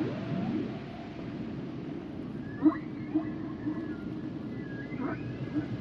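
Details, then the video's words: Humpback whale song at low level: a low moan opening, then pulsed rising notes and faint high tonal whistles spaced across a hissing sea background. "Sounds and Songs Of The Humpback Whales"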